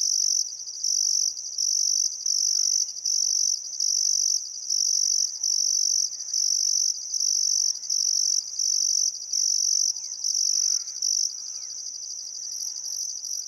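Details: Australian crickets calling at sunset by the Barcoo River, Welford National Park, Queensland Outback, in still summer weather: shrill rhythmic trill pulses, regularly spaced, softening near the end, with faint bird whistles and chirps behind.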